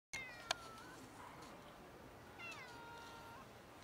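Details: Ginger cat that came out of bushes, asking for food; two thin, high meows, one near the start and a second, rising-then-falling one about two seconds later, over quiet background hiss.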